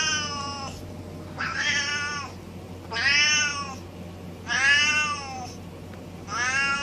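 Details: Domestic cat giving five drawn-out meows with rich harmonics, each about a second long and arched in pitch, spaced roughly every one and a half seconds over a steady low background hum.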